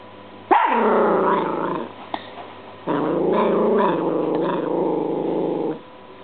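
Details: Apollo, a pet dog, growls and barks gruffly at a washing machine spinning differently than usual on its dry cycle; two long, throaty, wavering bursts of rough growl-barking with a short pause between them.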